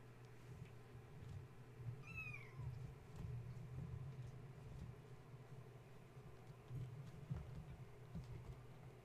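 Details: Gaia's kittens, stirred from sleep at bedtime by a space heater being plugged in and romping about while mama tries to settle them; a single short falling kitten meow early on, then rustling and thumps over a constant low hum.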